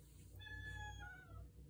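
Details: Viper, a female pet cat, meowing at 1 a.m. indoors because she wants to go outside; one drawn-out, tonal meow of about a second, slightly falling at the end, over a steady low household hum.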